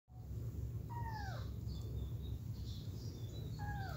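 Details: Kittens wanting to get back to their mother give two short, arched, falling meows with faint overtones, a second apart at the start and end, over a steady low hum with light bird chirps high above.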